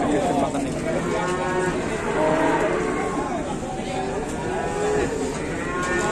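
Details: Huge cattle at an unloading in Indonesia, one refusing to move; hoarse lowing with stacked tones rises through busy background chatter and music from the handlers.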